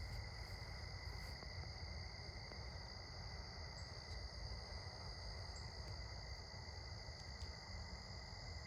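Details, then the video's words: Crickets at sunset, recorded on an evening stroll: steady multi-pitched shrill trilling throughout, a few soft clicks and short high taps scattered through, over low rumbling background noise. "Cricket's chirping sounds"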